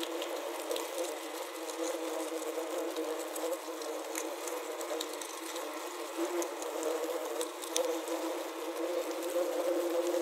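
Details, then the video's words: Several wasps caught in a wasp trap drone continuously, captured on a Zoom H6 with a Korg CM-300. The buzz is thick and low, swelling slightly near the end, with scattered tapping clicks of insects striking the walls. "Wasp Trap Soundscape | Ambient Sounds of Wasps Trapped Inside"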